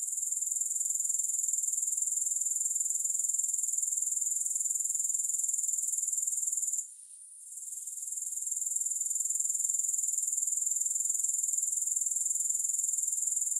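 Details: Grasshoppers give a continuous, shrill, high-pitched buzzing trill of rapid, even pulses. It breaks off briefly just before seven seconds and swells back. No other sounds are heard.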